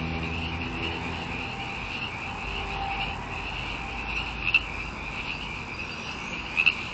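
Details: Frogs calling en masse, a steady high-pitched trilling drone holding constant throughout, with a few sharper chirps standing out near the end over low background rumble.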